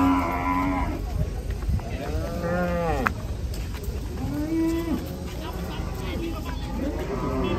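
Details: Cattle moo amid a lively gathering: a steady low drawn-out tone opens, then several arching, rising-and-falling lows follow, with people chatting throughout and steady background hum.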